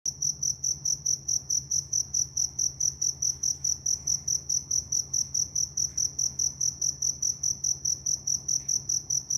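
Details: A cricket in the Vietnamese countryside at evening gives a continuous run of shrill, evenly spaced chirps, several bright high pulses a second, over a faint low hum.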